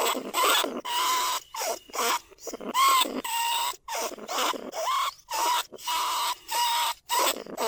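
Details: Calls of a trapped lesser bandicoot rat that draw other rats, from a live recording at Na Lao, Nong Khu Phai rice fields. Separate squeaky bursts with steady, whining tones follow one another at uneven intervals.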